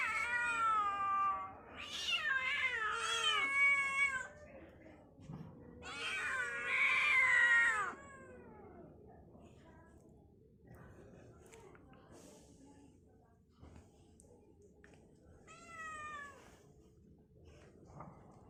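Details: Pet kittens meowing indoors: loud, drawn-out harmonic meows, several overlapping and bending down in pitch during the first eight seconds, then quieter scattered mews and a final rising-falling meow near sixteen seconds.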